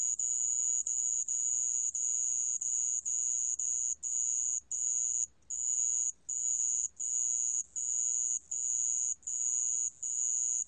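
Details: Sand cricket recorded by Korea's National Institute of Biological Resources in 2020: high, steady ringing trills, each about half a second long, with short silent gaps. Roughly 79 trills per minute; faint low hum beneath.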